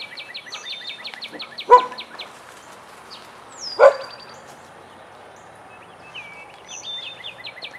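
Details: Two loud, isolated barks about two seconds apart, from Vizsla dogs Biscuit and Jericho at play in their den, set against steady rapid trilling and chirping of songbirds.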